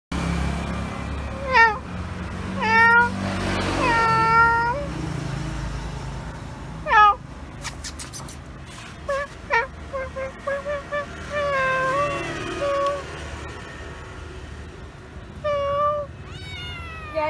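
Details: Domestic cat reacting on first seeing a stranger gives a series of about six clear, harmonic meows, each bending up then down, spaced irregularly over the recording, with a person talking nearby and a low background hum.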